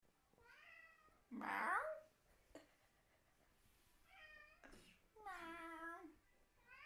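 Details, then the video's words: Indoor pet cat answering people's fake meowing with a wild, deranged meow; drawn-out harmonic meows alternate with one loud, rough, strained outburst, quiet gaps between calls. "Cat Meowing"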